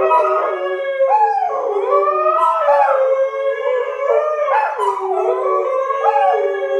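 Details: Sky the Siberian husky howls in a trio with two English springer spaniels, Marshall and Sadie, after being annoyed by them. Long, wavering, overlapping harmonic howls rise and fall continuously, with several voices sliding against each other.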